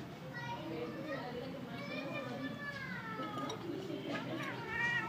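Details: Feral kitten frightened by another cat named Simba, giving a few drawn-out meows that bend upward then fall, with a person talking over the cries throughout.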